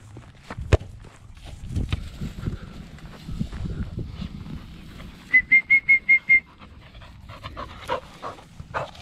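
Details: Pet Border Collie that wants to play with a hula hoop and ball, asking to play every day until bedtime; six short, high, even whines in a quick row midway, among footsteps, thumps and handling noise.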